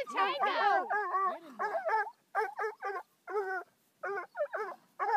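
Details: Young Bluetick Coonhound, five months old, facing a raccoon on only his second encounter. Rapid, ringing bay-like barks in short, uneven bursts, some drawn-out and wavering, with brief gaps between volleys.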